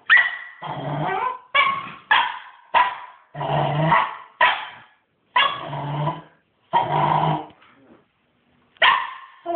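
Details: Hyper Cairn Terrier puppy, male, after his morning walk, giving a rapid run of short harsh barks and growly yaps in bursts, about nine within ten seconds, with brief pauses between.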